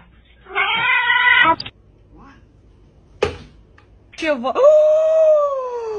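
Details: Angry domestic cat calling indoors in a small room: a harmonic, wavering yowl, a short sharp burst, then a long drawn-out cry that rises and slowly falls, with quiet gaps between.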